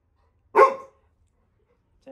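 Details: A single sharp bark from Little John, a Labrador Retriever puppy guarding home when a visitor enters the house, followed by silence and a brief faint voice at the end.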